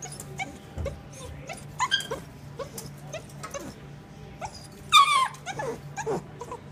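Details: Staffy, pointer and kelpie cross dog whimpering: scattered thin, high whines, then a sharper rising yelp-like whimper near the end, with soft background hum.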